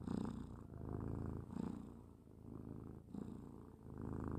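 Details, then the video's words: Cat snoring at rest: rumbling, low breaths rising and falling roughly every one and a half seconds, steady and unhurried, with nothing else audible. "Funny and cute cat snoring"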